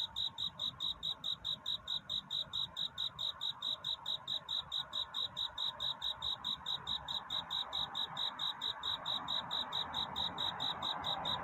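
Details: Night courtship song of a cricket, steady high-pitched pulsed chirps repeated roughly twice per second throughout, with a faint murmur of background noise underneath.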